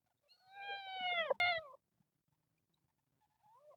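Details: A kitten from a group of temple cats living in nature screams one long, drawn-out meow that slides gently downward, cut briefly by a sharp click, with faint softer calls near the end.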